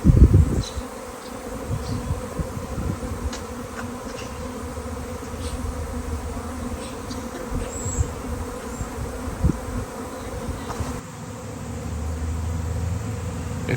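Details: Thousands of swarming honeybees on a nice-weather day, first mistaken for a drone: a dense low droning hum throughout, with a loud burst at the start and rumbling wind-like noise.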